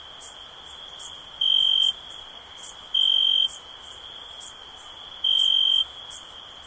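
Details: A continuous, thin, high cricket trill that swells into three louder chirps of about half a second each at uneven gaps. Brief sharp clicks sound higher above.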